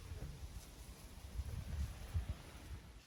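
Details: Only low, muffled rumbling of wind and outdoor background noise is heard. No animal call stands out at any point.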